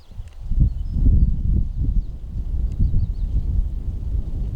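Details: Mugung, a six-year-old tiger at the Tiger Forest of Baekdudaegan National Arboretum in Bonghwa, South Korea, making strange sounds on the afternoon of 24 April 2026, possibly unwell: deep, rough, pulsing rumbles lasting about four seconds, with faint high whistled bird notes above.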